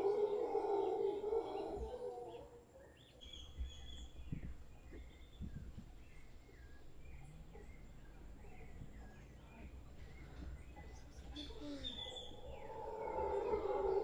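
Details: Large troop of howler monkeys in a tree in front of a property in Guanacaste: deep, rough roaring swells loudly at the start, fades midway, then rises again near the end, with chirping birds between the roars.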